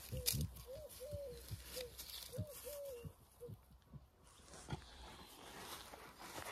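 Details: Rottweiler, very happy to finally be out for a walk among dandelions, gives a run of short arched whines in quick bursts over the first three seconds, then falls quieter while a person talks to it outdoors.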